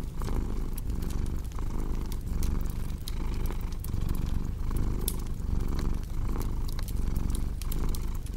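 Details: Loud, steady cat purr with a cozy fireplace mix, a deep vibrating drone surging roughly every second with the breath, punctuated by scattered woody crackles.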